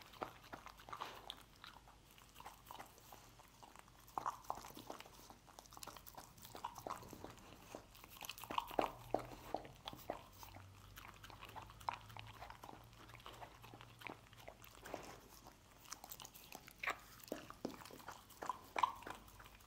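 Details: Dog eating scrambled egg: a steady run of sharp wet clicks, smacks and crunchy bites, irregular and dense throughout, with louder bursts near the end over a faint low hum.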